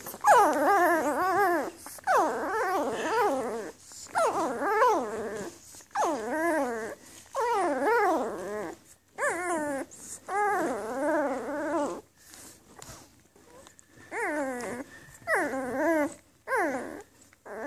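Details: Newborn Afghan Hound puppies from a Donna x Amadeus litter, May 23, 2014, whimpering and crying indoors: repeated wavering, harmonic-rich squeals, each rising then falling, bursting out about every second or two with brief pauses between.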